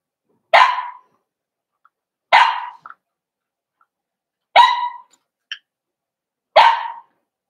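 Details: {'caption': 'Cavalier King Charles Spaniels in a home puppy pen with 4-week-old puppies meeting other dogs: four short, sharp yelping barks, about two seconds apart, in a quiet room.'}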